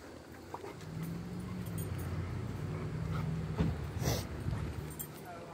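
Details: A Treeing Walker Coonhound inside a Lowe's store on 10 September 2022 gives low, drawn-out moaning tones over background voices.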